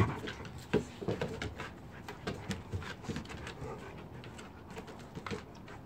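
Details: Saint Bernard dog celebrating its first birthday, playing tug-of-war with a new rope alongside Haggis; rough breathy panting and short noisy bursts of effort, with scuffling thumps, in a small room.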